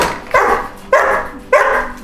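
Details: Three sharp barks spaced roughly every six-tenths of a second from a dog shut in a crate, each loud and abrupt with a quick decay, in a small indoor room.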